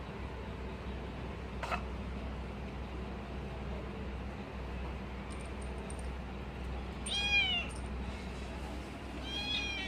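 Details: Pet kitten eating cat food and guarding it, letting out a short, rising-then-falling whine around seven seconds and a faint start of another at the end, over steady low hum and light clinks.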